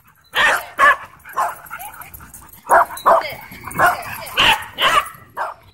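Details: Dogs at a dog park during wild play, giving a series of about ten short, bright barks and yips at irregular intervals, some paired, over faint background chatter.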